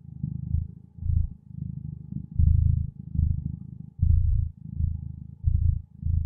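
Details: Gentle purring from a contented feline companion: a soft, low vibrating drone rising and falling about once a second as the cat breathes in and out, clean and uninterrupted.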